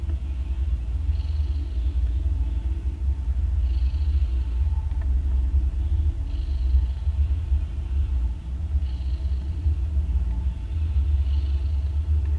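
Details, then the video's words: Mother cat snoring loudly while nursing three kittens born the day before, two orange and one grey; a deep steady low rumble runs throughout, with a breathy hiss rising about every two and a half seconds. "Cats Snoring loud While Nursing"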